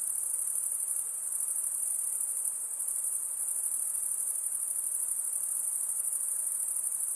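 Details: Shrill insect chorus: one unbroken very high ringing band with a fast shimmering pulse, loud and even throughout, faint background hiss below.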